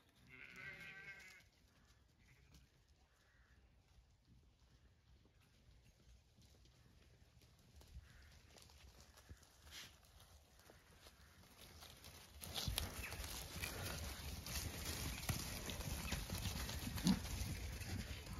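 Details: Zwartbles sheep from an orchard breeding flock on a regenerative farm in County Kilkenny, Ireland, answering a farmer calling them over: one loud, wavering, harmonic bleat at the start, then quiet rustling and rising wind noise.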